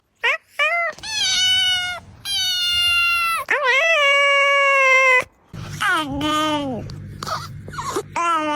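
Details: Several goofy domestic cats meow in turn: drawn-out, wailing, harmonic-rich meows, some long and level, others bending down in pitch, with short gaps between calls.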